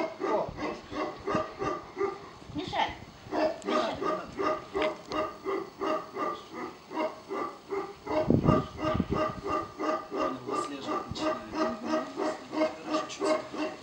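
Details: Tibetan Mastiffs at the Nasledie Tibeta kennel in Russia, tested for working qualities without protection training and facing unfamiliar people. Deep harmonic barks come in a steady, rhythmic run of roughly three per second, with human voices underneath.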